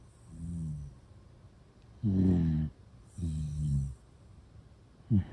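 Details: A dozing Shiba Inu snores steadily, producing several deep, rasping, droning breaths at roughly one-second intervals, the last one cut short, with no other sounds around.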